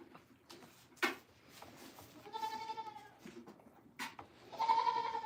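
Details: Two drawn-out, tremulous goat bleats on a farm, the second louder and cut short, separated by knocks and faint clicks over a quiet hum.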